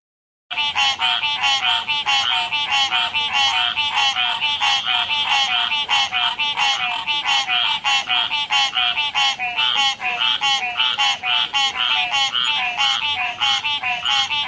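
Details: Frogs croaking by a river: loud, nasal, harmonic notes repeated rapidly and almost continuously, about one and a half per second, overlapping into a steady pulsing chorus with no other sounds.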